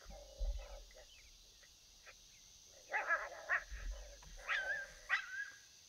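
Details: Coyotes heard on a predator hunt give sparse whimpers, then a run of sharp yelps and falling, wavering howl-like notes, with low thumps in the background.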